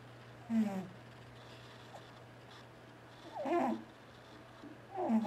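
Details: T-Jay, a male pet cat, asleep and snoring: three short raspy, throaty bursts a few seconds apart, separated by quiet breathing gaps over a steady low electrical hum.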